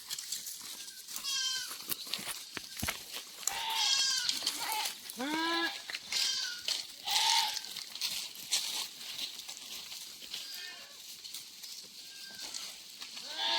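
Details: A group of thirsty goats during a spell of extreme heat bleats repeatedly, with quavering calls scattered among one another, against heavy crackling, hissing noise that partly masks the bleats.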